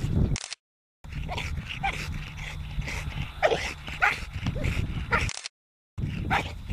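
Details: T-Rex, an American Bully, letting out brief rising whines and yelps between bursts of low rumble and tapping clatter, with two short dropouts in the recording.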